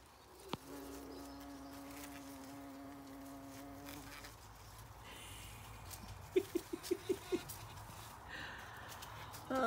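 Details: Bee working foxglove flowers on a regenerative farm in County Kilkenny, Ireland: a steady, low drone with overtones lasting about three seconds, then a quiet background. A run of sharp clicks and scuffling sounds follows near the end.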